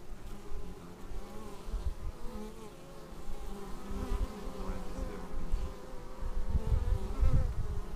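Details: Bees flying in to the beehive, captured as raw action-camera sound: a low, continuous swarm hum with wavering layered tones that swell louder toward the end, plus deep rumbling thumps.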